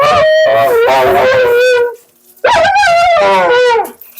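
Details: A vocal Siberian Husky named Mila protests her bath with two long, warbling howl-moans separated by a short silence; each wavers with fast vibrato and bright upper harmonics, the second rising sharply at its start.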